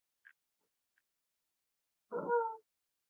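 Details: Cavalier King Charles Spaniel puppies snuggling at home on a warm Friday morning, raised as emotional support animals; one short, falling, harmonic whine of about half a second after near silence and a couple of faint ticks.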